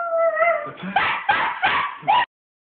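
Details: Boo Boo, a small pet dog, howling along with Arctic wolves on television: a long wavering howl first, then several short, rising yelping howls, with a narrator's voice from the broadcast heard just before.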